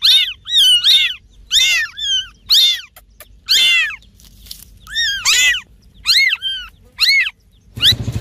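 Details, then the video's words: Cat from a meowing compilation giving a rapid series of high, short, arching mews, roughly a dozen in eight seconds, some doubled, in a quiet setting, with a brief thump at the very end. "Funny Cats and Kittens Meowing Compilation || Cat sounds"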